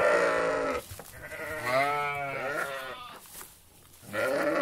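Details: Sheep from a flock in a meadow bleating: a long wavering harmonic bleat rising then falling over about three seconds, with shorter bleats from other sheep at the start and end.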